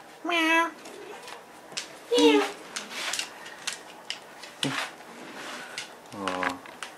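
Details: Indoor pet kitty Nemo giving three tonal meows, one short, one falling, one lower and longer, scattered over several seconds between soft rustling and a person's voice.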